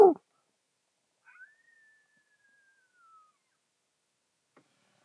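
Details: A distant coyote near Indian Wells, around a thunderstorm, gives one thin, drawn-out howl that holds steady and then slowly sinks.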